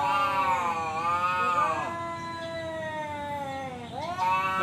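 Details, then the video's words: Tomcat's fight challenge: one long, low, moaning yowl that slowly sinks in pitch, then rises sharply into a fresh wail near the end. "suara kucing ngajak berantem//kucing jantan"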